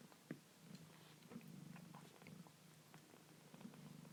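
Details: Foster kitten purring indoors around feeding time; a low rumbling purr pulses steadily beneath scattered clicks and small chewing or handling noises.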